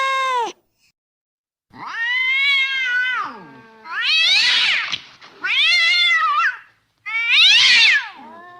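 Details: Cat calls for drawing cats out of cars and cramped spots: a series of long, loud, drawn-out meows, some rising into harsh caterwauling, each lasting one to one and a half seconds with brief gaps.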